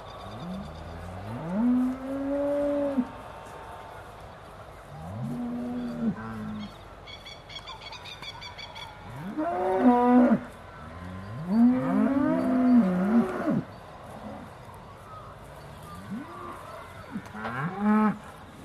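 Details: Aussie Red dairy cows of the Beaulands herd, several animals mooing just before milking in December 2012; long, low bellows that rise and waver, some overlapping, coming every few seconds with faint barn noise between.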